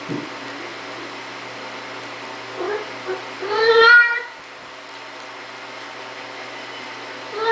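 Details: Siamese cat named LuKang, opening a door indoors, gives one loud, drawn-out meow with rich harmonics partway through, preceded by a few faint short sounds, over a steady low household hum.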